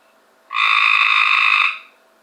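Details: Cope's gray treefrog found in a backyard pool in 2015, giving one loud, harsh buzzy trill lasting just over a second, rasping and even in tone with rich harmonic layers, then fading quickly to quiet.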